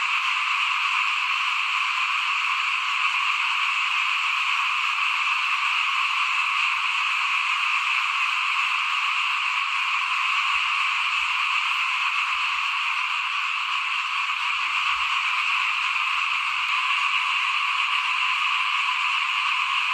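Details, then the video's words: A frog chorus beside a house at rice sowing time, 2021: a constant, dense trilling mass of high voices and faint soft thumps low in the background. "ฟินๆกับเสียงเขียดร้องหน้าบ้าน ตอนหว่านข้าวเตรียมปลูกปี2021"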